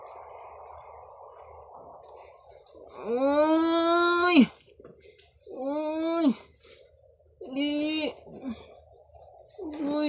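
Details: Pet Canaan dog puppies at home: three drawn-out, strongly harmonic whining yelps, each rising then sagging in pitch and lasting about a second, separated by short pauses, with a fourth cry beginning at the end over a low room hum.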